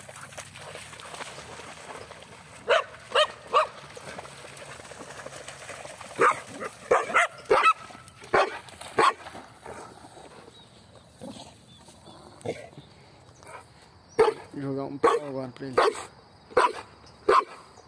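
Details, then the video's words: Mixed-breed dog and Pitbull at play fetching a stone during a Sunday walk; scattered loud barks, clustered early and again near the end, separated by quieter stretches with faint voices. "vira-lata e Pitbull brincando"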